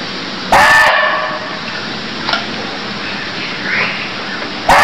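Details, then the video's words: Deer calling in Cambodia: a loud, harsh, bark-like call with a strong rasping edge at the start, then a long quiet stretch with faint rustling before a second call cuts in at the very end. "Cambodia Sound Deer Calls || សម្លេងសត្វឈ្លូសស្រែក"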